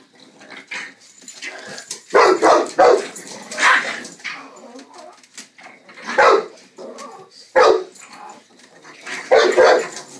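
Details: Dog at play time, giving loud, rough barks in short bursts, roughly five outbursts spaced one to two seconds apart across ten seconds, with quieter huffs and rustling between them indoors.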